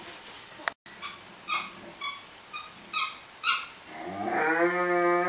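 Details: Cerberus, a pet dog, playing with toys indoors: a series of short high squeaks followed by a sustained low moaning groan that holds steady for over a second.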